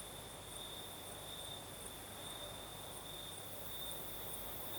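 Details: Crimean night in the south, crickets singing: an unbroken high trill plus a higher layer pulsing roughly twice per second, against a soft, steady night breeze.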